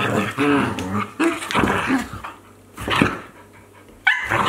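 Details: Akita Inu dogs at play, a 14-month-old and a 2-month-old puppy, in 2023: throaty growls and grumbling barks come in uneven bursts, then a pause, and end with a sudden higher whine.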